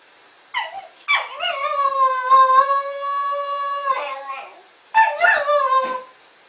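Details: SHAQ, a Shetland Sheepdog, in his early howling. A short yip opens into a long, even, clear howl lasting about three seconds, followed by a brief break and a rising yelp-howl that ends the clip. The room is otherwise quiet.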